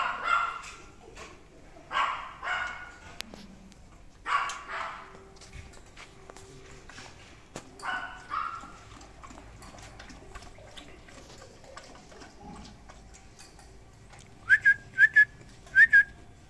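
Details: Fawn male Great Dane puppy in India: a handful of short, yelping barks and drawn-out whimpers spread over the first eight seconds, then a quiet stretch, ending with three brief high chirps.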